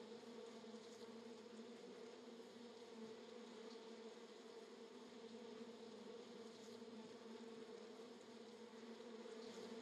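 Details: Bees swarming around a small camera drone in Florida, possibly honey bees: a steady, dense droning buzz with a low hum, continuous and even throughout.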